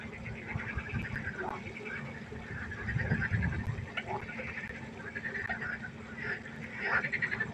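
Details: Frogs croaking together by a pond at night. Dense overlapping calls form rattling, pulsed bursts that swell and fade every second or so over a steady low hum.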